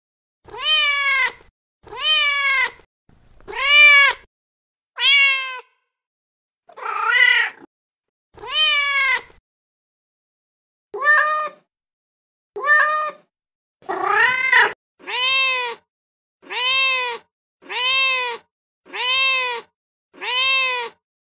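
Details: Persistent mating calls from a male cat in heat, about fifteen meows over twenty seconds. Most are short, bright and descending, with a few rougher, strained cries in the middle, then a steady, evenly spaced run at the end.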